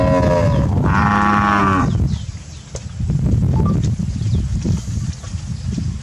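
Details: Brahman heifers of the Sabah Brahman breeding program grazing in Sabah: one loud harmonic moo lasting about two seconds, starting low and rising into a strained middle section, then quiet with distant bird chirps and rustling.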